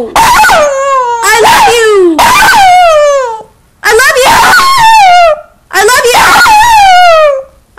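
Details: A small Maltese Shih Tzu dog gives a series of drawn-out, howl-like yowls that slide downward in pitch, almost like talking, as if trying to say "I love you".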